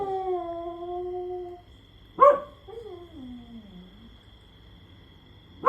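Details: Pet dog howling while lying down, lazily joining a companion that keeps howling; a steady sustained tone fades out, then a sharp yelp and a drawn-out howl that slides downward.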